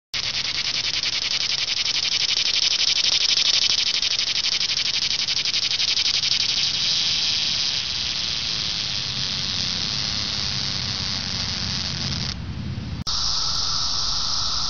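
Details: Cicadas singing in a dense, unbroken high buzzing drone with a fine, rapid pulsing texture, holding steady for about twelve seconds before a brief break and a switch to a thinner, shriller whine.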